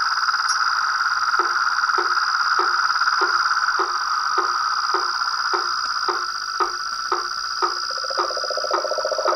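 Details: Chorus of toads, frogs and tree frogs: two steady high droning tones run throughout, while a lower knocking call repeats about every half second, roughly seventeen times, with a warbling call joining near the end.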